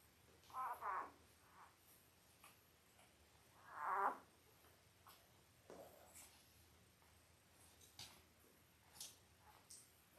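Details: Five-day-old Labrador Retriever puppies from Belle's litter of eight, born October 15, 2023, indoors on a puppy cam: two short, high squeaky whimpers a few seconds apart, then faint scattered clicks and rustling.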